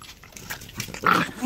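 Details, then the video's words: Pet Corgis greeting their owner indoors: a short, sharp bark-like yelp near the end, preceded by softer snuffling and movement noises. "Corgi greeting"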